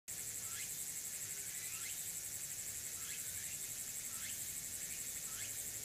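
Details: Tsukutsuku-boshi cicada at Magarikawa, Furuta, Nishinoomote, Tanegashima, Japan, on an early-autumn afternoon, 6 September 2022: faint rising sweeps about every 1.2 seconds over a steady high insect drone.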